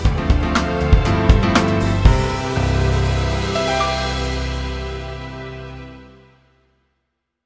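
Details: Background instrumental music with plucked notes and sustained low chords fades out gradually to silence, with no animal voice heard.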